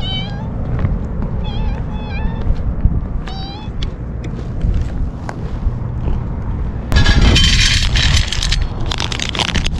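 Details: Stray kittens fed outdoors on a strongly windy day, eating eagerly: clear, high, wavering meows repeated in a quick series early on, then loud gusts of wind roar over the scene.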